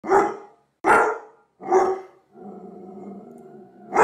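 A Doberman Pinscher gives deep, forceful barks, with a low rumbling growl between them.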